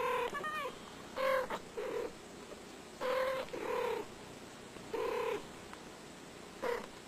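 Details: House cat producing a series of short meows in pairs, roughly every one to two seconds, with a faint steady hum underneath.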